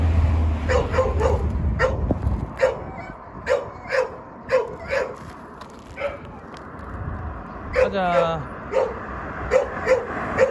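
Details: Jindo dog in Korea barking in a steady series of short yaps roughly every half second, with a man's voice calling and a brief whine-like sound partway through.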